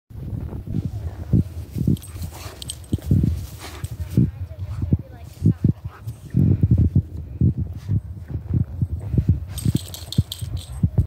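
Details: A German Shepherd out in the snow gives deep, rough woofs and grumbles in short irregular bursts, with a person talking.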